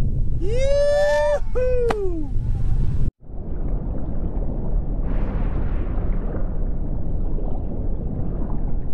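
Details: A whale gives several arching, tonal moans with bright overtones during the first three seconds. After a brief dropout, a continuous low underwater rumble and hiss remain with no further calls.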